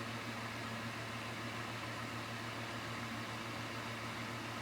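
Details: Steady broadband hiss with a low electrical hum, like a fan or appliance running in a small room, and no animal voice.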